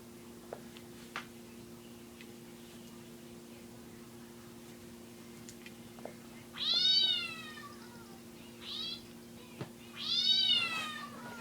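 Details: A pet cat, described as afraid of its owner's ringtone, meows three times over several seconds, with drawn-out, wavering calls separated by pauses. A low steady hum runs underneath, with faint clicks and handling noises.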